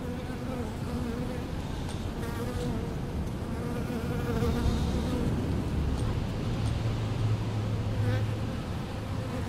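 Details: Steady droning buzz from honey bees at a leaky hose and fanning their hive, layered with bands of tone that rise and fade as individual bees pass close; faint voices in the background.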